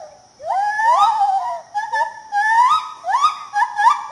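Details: White-handed gibbon from Peninsular Malaysia giving clear whistled hoots that swoop upward and wobble, several long rising notes in quick succession, strong and tonal.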